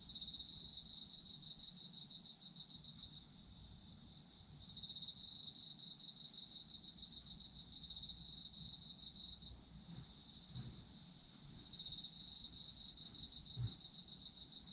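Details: Autumn insects calling, several bursts of a high, fast-pulsing trill separated by brief pauses, over a dense continuous insect background, with a few soft low thumps.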